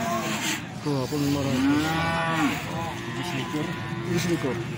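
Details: Feeder cattle at the Plaosan cattle market, Magetan, Indonesia: several overlapping mid-pitched moos rise and bend over a steady market murmur, with close calls layered together through most of the stretch.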